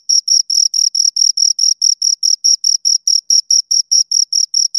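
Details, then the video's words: Crickets, two of them, giving regular shrill chirps roughly four per second, each pulse crisp and equally loud, nothing else audible. "Two Crickets Chirp Sounds"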